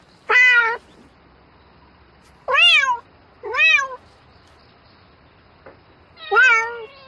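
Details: Night-time mating call of a domestic cat: four strong meows, each rising then sliding down, with two close together mid-clip and a longer quiet stretch before the last one.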